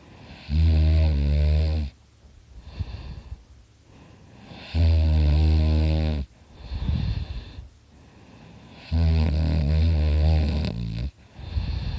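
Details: Loud snoring from Dakota, a dog sound asleep: three long, low, rattling snores about four seconds apart, each followed by a breathy, wheezy exhale.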